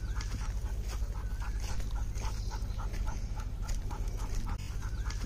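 A Golden Retriever pants in quick, breathy puffs over a steady low background rumble.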